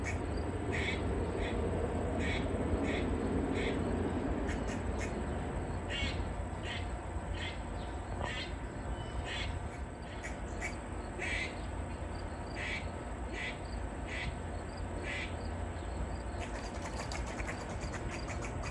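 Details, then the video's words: Long run of grey squirrel barks from a tree, a distress call at a nearby predator: clipped, grating chucks at a fairly steady pace, nearly three per second, above continuous low rumbling noise. "Squirrel Barking And Snapping It's Tail In a Tree"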